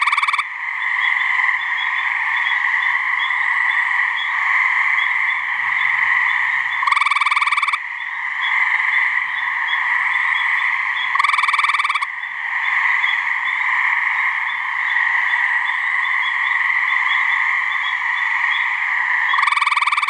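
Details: Gray treefrogs (Hyla versicolor), two frogs giving mating calls from a swamp in New Hampshire. Loud, pulsed, buzzy trills about a second long recur roughly every four to five seconds over an unbroken, ringing chorus of other frogs.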